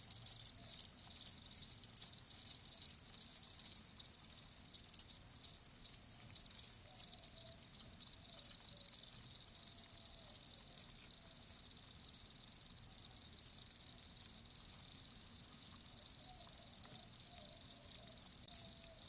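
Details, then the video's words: Live crickets chirping in a natural setting; bursts of high, scratchy chirps early on settle into a softer continuous high trill, with a few sharp clicks later. "Live Crickets 60min "Natural Sound""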